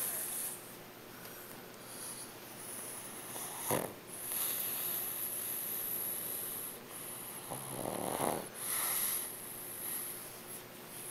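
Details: Hachi, a dog, snoring: slow breathy rasping snores, a short soft one near four seconds and a longer, louder drawn-out one around eight seconds, over a steady background hiss and a thin high electronic whine.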